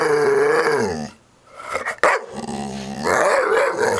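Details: A dog's sustained growl rises and falls in pitch, breaking off for a moment with a few sharp clicks, then rumbling on again strongly to the end.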